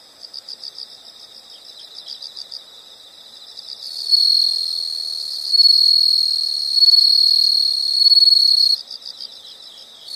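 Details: Soft rhythmic pulsed insect chirps open, then a loud shrill continuous trill takes over for several seconds, swelling in waves before cutting off and leaving the quieter pulsing.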